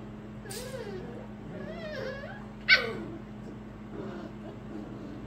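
Pembroke Welsh Corgi puppies whine in thin, wavering tones, with one sharp yip in the middle.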